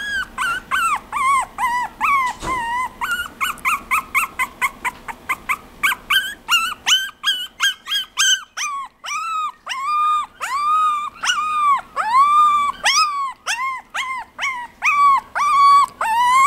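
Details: Chihuahua calling insistently: a quick burst of short, sharp yips over the first seven seconds, followed by longer, arched, nasal whines repeated about once per second, with faint background hum.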